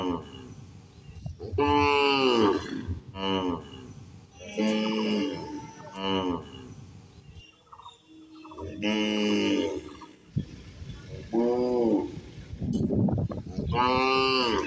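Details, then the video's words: Cows, adult and calf, eating in a field, mooing repeatedly: around nine bellowing calls of varied length, some bending upward then down, packed closely with short pauses and low background noise. "Cow Sound Effect For Kids"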